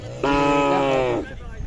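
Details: Khillar cattle at the Sangola cattle market, 12 May 2024: one loud, steady moo lasting about a second, flat in pitch and rich in harmonics, with low market chatter before and after.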